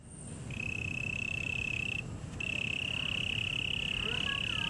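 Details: Cricket at Taipei Botanical Garden, Taiwan: a steady, high, pure trill held for about 1.5 seconds, a brief gap, then resuming and running on; soft faint bird-like chirps and low background hum beneath.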